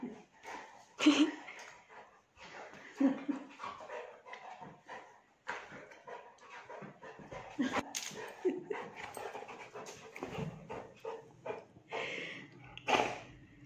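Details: Saint Bernard puppy at play with its mother, heard as steady rough panting broken by short whimpers and scuffling, with a few louder yelps.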